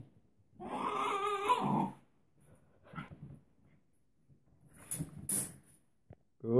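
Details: Female Welsh Terrier settling for bedtime in her kennel indoors, giving a wavering, harmonic whining grumble of about a second, followed by a few faint short murmurs and sharp clicks or knocks.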